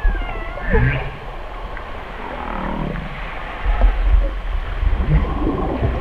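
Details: Humpback whale song and feeding calls recorded off Alaska: brief upswept squeals and wavering moans in the mid range, scattered over deep low rumbling and a steady wash of underwater noise.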